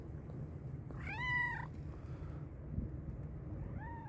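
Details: One long loud meow from a hungry black and white cat, rising then holding steady, followed by a softer short call, against low-pitched background noise.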